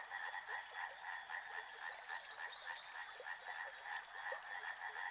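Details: Many frogs croak together near a river, a thick rhythmic chorus of quick repeated pulses, about three or four a second, layered over a soft wash of running water.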